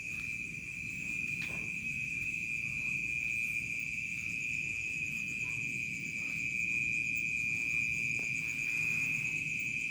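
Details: Crickets in a village as dusk falls toward night, trilling in a dense, even high drone with quick pulsing chirps above, and low background hum underneath.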